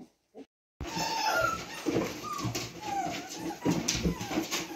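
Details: Newborn mixed-breed Labrador/retriever puppies in their first days cry with thin, wavering whimpers that rise and fall, overlapping one another.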